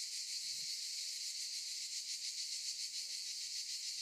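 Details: Cicadas in olive trees give a loud continuous high buzz with quick regular pulsing; a brief low thump early on.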